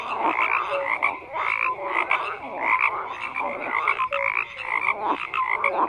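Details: A thick chorus of croaking frogs, pulsed rattling calls layered over each other, punctuated by short clear piping notes at irregular intervals; continuous and busy throughout.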